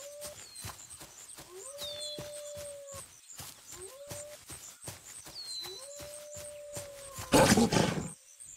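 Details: Grey wolf howling: four long, steady mid-pitched howls, each rising quickly at the start and then holding level, some lasting over a second. High bird chirps sound throughout, and a loud burst of noise comes near the end.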